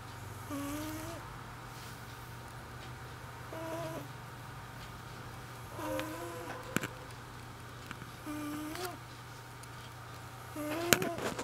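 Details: Elderly female cat sleeping indoors and snoring, with short whistling, slightly wavering nasal tones on each breath, repeated roughly every two and a half seconds over a steady low electrical hum. A faint click comes near the end.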